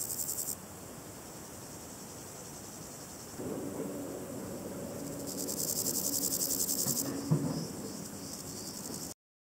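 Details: Stridulating Variable Chorthippus grasshopper: a brief pulsed rasp, then a steady low droning hum enters, over which another high buzzy, evenly pulsed phrase of about two seconds sounds before fading into hiss.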